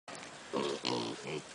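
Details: Piglets at a zoo giving three short, harmonic grunting squeals in quick succession, each about half a second long, over a quiet background.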